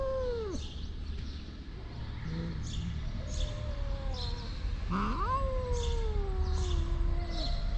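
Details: Stray cats in Morocco, always hungry and asking for food; two long, sliding meows, one at the start and one from mid-clip that falls slowly over about three seconds, over steady outdoor hum.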